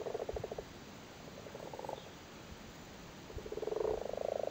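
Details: Big male frogs busily spawning in a waterlogged cattle grid in County Cork, Ireland: short pulsed purring croaks in scattered bursts, quieter in the middle, building into a longer continuous rattle at the end.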